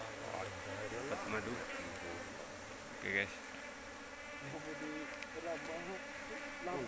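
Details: A continuous, droning hum from a big Asian honey bee colony discovered in an oil palm plantation, fairly even throughout, with faint human voices at the start and one short, sharp click about midway.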